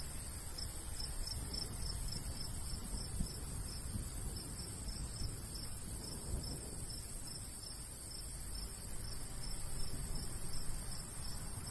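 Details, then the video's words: A golden wheat field in summer with crickets pulsing rhythmically at high pitch for the whole stretch, while a light breeze adds a steady low roar. "Countryside/cricket sounds"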